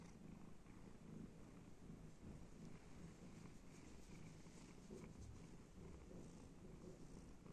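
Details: Domestic cat purring contentedly while being petted and scratched, a steady low rumbling drone that continues without break through the whole stretch, with no other clear sounds.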